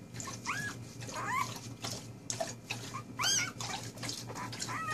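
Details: Four-day-old puppies giving thin, high squeaky whimpers, short rising-and-falling cries repeated irregularly, several overlapping, over a steady low hum.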